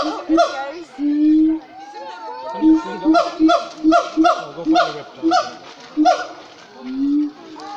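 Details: Siamangs at Cotswold Wildlife Park calling loudly in full voice: a series of short, honking barks repeated in quick succession, some held longer, with a few voices of visitors in the background.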